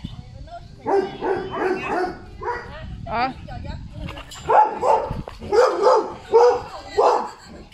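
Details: Golden Retriever Zhuangzhuang, a pet dog in a rural home, excitedly fawning over its grandmother after days apart and nuzzling her. A run of whining, yelping vocal bursts with bending tones, mixed with human voices.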